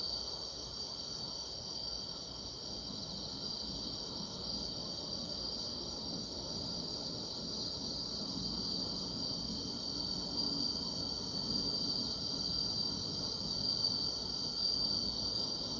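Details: Continuous chorus of grass insects on a summer night: a dense, even high buzz holds throughout, with a thinner, very high band above and soft low rustling beneath.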